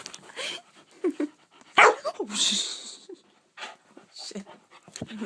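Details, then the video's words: Two-month-old Saint Bernard puppy with hiccups, indoors near a bed, gives one loud, sharp bark midway, surrounded by softer snuffling and hiccup-like puffs, while a person talks to it and urges calm. "Saint Bernard puppy hiccups and barks"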